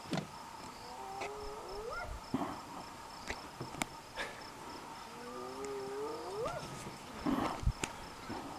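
A spotted hyena gives two drawn-out calls that sweep upward in pitch, set against faint background clicks.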